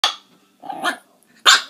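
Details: Puppies barking: three short, sharp, high yaps spaced about half a second to a second apart, the last one loudest, with quiet gaps between.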